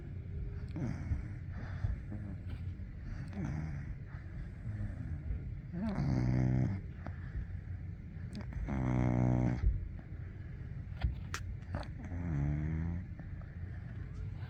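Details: Sleeping Golden Retriever puppy gives a series of deep, buzzy snores roughly every three seconds, each a rattling low drone with softer breathing between them.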